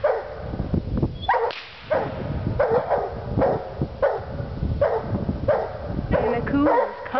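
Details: Two Walker Hounds treeing like crazy, giving steady chopped barks about every half second to second, bright harmonic bursts over a constant low rumble, with a voice heard briefly in the mix.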